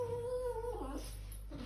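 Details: Poodle scared of high stairs whimpering: a steady whined tone with a slight wobble for under a second, then a short dip and fade, over a low indoor hum.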